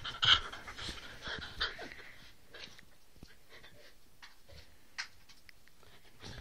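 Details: Playing rough, two Whippets, three-year-old Roxy and seven-week-old Lilah, give a sharp high yelp at the start, then short growly bursts and panting, with a second yelp-like spike near five seconds amid scuffling.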